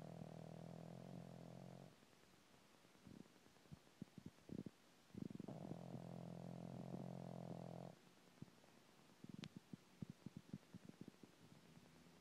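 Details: A sleeping pug snoring among three French Bulldogs indoors; long low rumbling snore phases lasting several seconds, separated by quieter snuffly breaths and short clicking noises.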